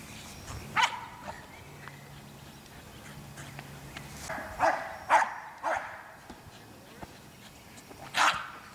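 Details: Nordic Spitz-family American Eskimo Dog barking: five or six loud, abrupt barks spaced unevenly across about nine seconds, separated by quiet stretches with faint background murmur.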